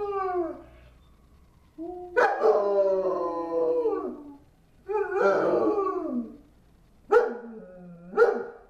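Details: A domestic German Shepherd at home howls in response to a passing ambulance, giving four drawn-out, sliding howls separated by short pauses. Each starts with a sharp onset and drops in pitch, and the last two are briefer.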